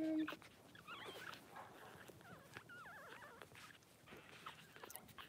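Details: Newborn Blenheim Cavalier King Charles Spaniel puppies, four days old, from a litter of six born March 7-8 at Red Barn Cavaliers; several thin, wavering whimpers and squeaky cries overlap, rising and falling in pitch, with light shuffling in the pen.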